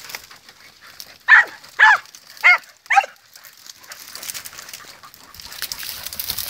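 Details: Podencos hunting through rough country bark four times in a row, each bark short and ringing with a slightly falling tone, about half a second apart. Outdoor rustle and low background noise follow.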